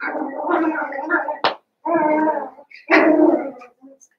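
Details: Eight Cavalier King Charles Spaniel puppies, two litters newly put together, let out long, wavering howl-like whines. A sharp click breaks the first cry, followed by two more sustained harmonic cries, with a few faint squeaks at the end.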